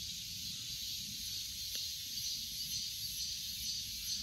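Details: Cicada chorus, a steady high buzzing hiss that holds without pause, with faint pulsing near the top and no other clear sounds.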